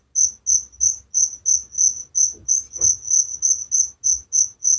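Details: Night cricket chirping recorded as a relaxing village sound: even, high-pitched pulses about three per second, strong and regular, with a faint soft knock midway.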